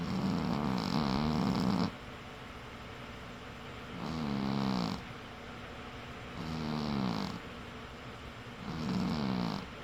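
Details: A cat snores in its sleep, a wavering low buzz on each breath, the first snore long and doubled, then three shorter rasps spaced about two and a half seconds apart.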